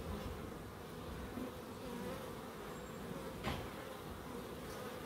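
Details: Bees in a small wildlife garden at an end terrace house in Crookes: a dense, continuous low buzzing hum of several insects, with faint wavering tones and one brief sharp click partway through.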